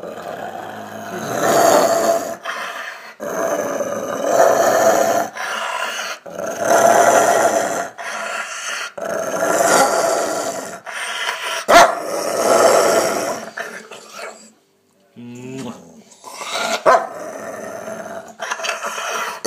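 A Rottweiler gives a series of rough, rumbling growls, each lasting a second or two.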